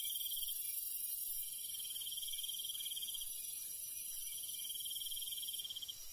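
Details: Crickets chirping at night in the Korean countryside among other night insects: bright pulsed trills repeated in bursts of a few seconds with short pauses, over a constant high-pitched insect hiss.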